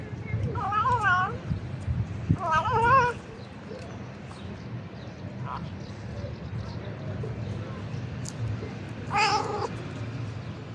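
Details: Domestic cat vocalising while eating: a few warbling, wavering meow-like sounds near the start and one more near the end, separated by quieter stretches with a low background rumble.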